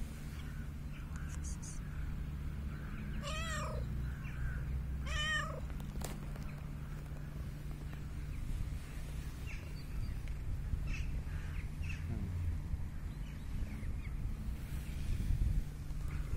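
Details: An unusual cat approaching the recorder meows twice, each call rising then falling, about two seconds apart near the start, followed by a sharp click and then only a constant low background hum.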